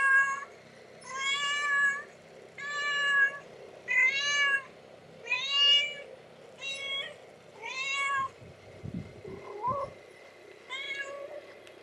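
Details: Kittens ten days old, recorded July 24, 2011, mewing in a rapid series: about seven short, high-pitched cries spaced roughly every second or so, some wavering upward, with a brief soft bump of handling noise near the end.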